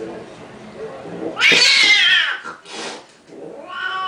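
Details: Domestic cats squabbling over a pink toy Mustang indoors; a loud, drawn-out yowling wail rises and falls for about a second, then shorter strained cries follow, with background voices and household noise.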